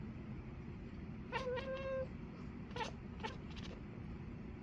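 A Maine Coon cat gives a level, trilling chirp lasting under a second, then two short, sharp chirps a moment apart. A low, steady indoor hum runs underneath throughout.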